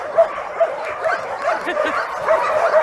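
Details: Homeless dogs, part of a group of about 2,000 animals, in a steady din of overlapping high yaps and barks with no quiet gaps.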